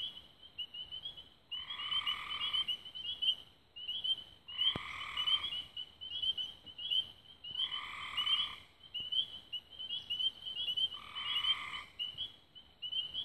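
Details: Dusk frog chorus near Raven Rocks in Belmont County, Ohio, recorded 24 May 2016: constant high chirping trills, with a lower buzzy trill breaking in for about a second every two to three seconds.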